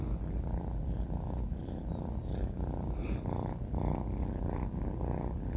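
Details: Banh Mi, a four-month-old male kitten, snores while asleep indoors: soft, raspy low rumbles swelling and fading in steady breathing pulses about every half second, with faint high clicks above.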